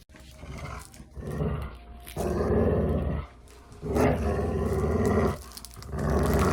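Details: Playing dog producing deep, roaring growls in three long swells lasting about one to two seconds each, broken by quieter gaps with soft rustling.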